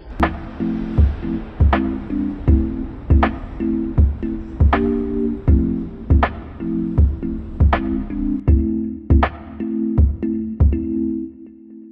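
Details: Steady plucked guitar music with a regular beat of about forty strokes a minute over low bass notes and sustained chords, with no animal voice heard.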